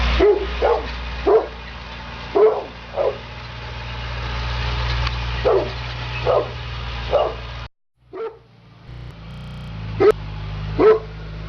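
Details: At work, the Neapolitan Mastiff Sofia DSV gives repeated heavy barks, roughly ten over eleven seconds in uneven groups, with a brief silent dropout near the end and a steady low hum underneath.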